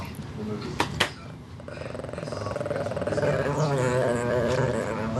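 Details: Female Shih Tzu growling as her owner pets her while still wagging her tail in affection; a low, throbbing, rapidly pulsed growl swells steadily in loudness, with people talking over it and two sharp clicks near the start.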